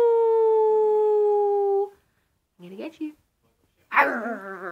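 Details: Puppy howling indoors, only its second time, with one long steady tone held for about two seconds, then short rising and falling vocal sounds after a pause.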